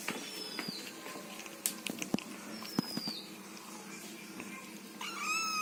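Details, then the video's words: Kitten eating food with strange noises, irregular sharp smacks and chewing clicks spread across the stretch, a faint high whine near the end, against constant room hum. "Funny Kitten Eats Food Making Weird Noises"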